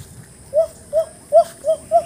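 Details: In a forested highland camping area in Indonesia, a monkey, apparently searching for food, gives five short, clear mid-pitched calls in quick, even succession.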